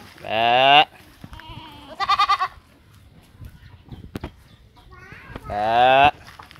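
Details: Goats foraging freely in an open pen in Indonesia; loud wavering bleats at the start and again near six seconds, a short pulsed bleat between them, with a person's voice and rustling in the background.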